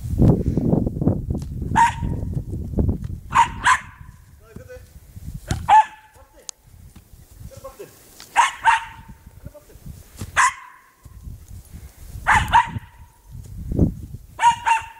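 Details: Cairn Terrier named Snoopy barking while playing with a football: short sharp barks in pairs and clusters every one to two seconds, with low thumping and rustling handling noise between them.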